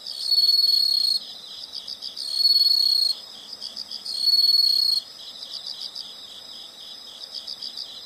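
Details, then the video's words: High-pitched insect calls: three strong buzzing trills come close together in the first five seconds, then only a quieter, rhythmic pulsing of chirps carries on. "the sound of insects"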